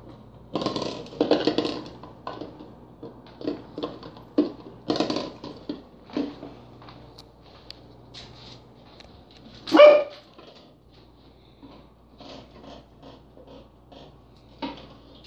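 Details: Corgi dog trying to get into a peanut butter jar; scattered short huffing barks and grunts in uneven bursts, with one louder, sharp whining yelp about two-thirds through, then quieter snuffling noises.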